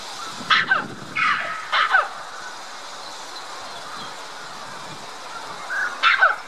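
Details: Calling for attention, a red-capped mangabey up a tree at Dublin Zoo exchanges calls with white-collared mangabeys over the lake; three quick descending barks, a quiet pause, then one more paired bark.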